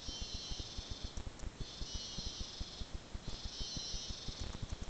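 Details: Cicadas in the rainforest of Arenal National Park buzz in a high, hissing chorus that swells and fades in waves, over low crackling thumps.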